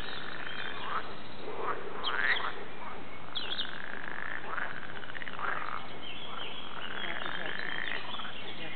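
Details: Frogs calling at the Warande in Tilburg: rough, nasal croaks sweeping up and down in overlapping bursts about once a second, over a steady background hiss.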